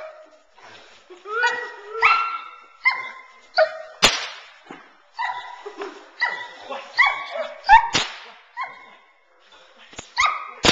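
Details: Nine-month-old Boerboel bitch worked off the sleeve in protection training; series of yelping whines and short barks with sharp whip-like cracks between them.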